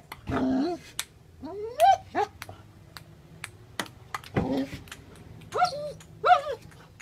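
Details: Australian Shepherd dog playing table tennis; short rising whining yips in small bursts, mixed with sharp clicks of the ball bouncing and a person's voice.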